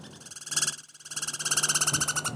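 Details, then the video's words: Douglas squirrel, also called pine squirrel, from the Pacific Northwest making a loud rapid rattling trill of fast buzzy pulses that briefly dips and then resumes, lasting over two seconds. "Douglas' Squirrel"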